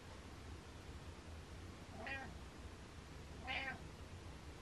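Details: Butters, a pet cat, gives two short, fairly soft meows about a second and a half apart against a quiet indoor hush with a low background hum.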